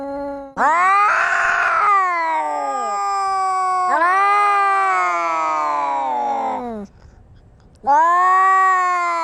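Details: Fighting cats trade loud, harmonic yowls: a sharp rising wail, then long wavering howls that sag in pitch, a brief quiet gap, and another yowl starting loudly at the end.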